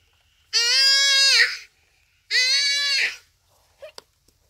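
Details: Common duiker caught by a cheetah at Phinda Private Game Reserve on a rainy afternoon, crying for help as it dies. Two long, strained, harmonic bleats about a second each, then a faint click.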